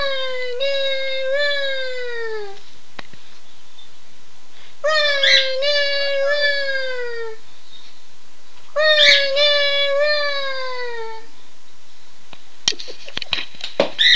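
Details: Two pet dogs howling in response to their owner saying "Run Guy run": three long, drawn-out harmonic howls, each about two and a half seconds, wavering then sliding downward, separated by short pauses, with scuffling noises at the end.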